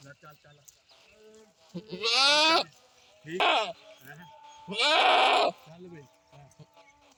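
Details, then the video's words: Goat calling with three strong, tremulous bleats under a second long, separated by softer nasal grunts and brief quieter calls. "Goat sounds"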